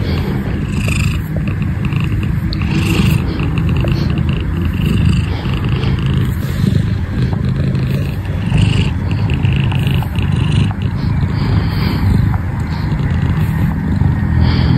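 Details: Shufen, a pet shorthair cat, purrs loudly and steadily close up, a continuous low rumbling throb that pulses with each breath and fills the whole recording without a break.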